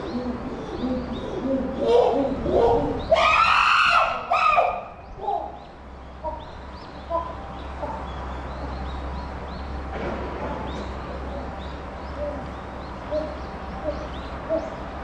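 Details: Chimpanzee Puteri at Tennoji Zoo, Japan, December 2021, crying out: a harsh, loud, broadband scream bursts out for about two seconds after a few softer rising calls, then fades into a quieter murmur of background noise and faint distant calls.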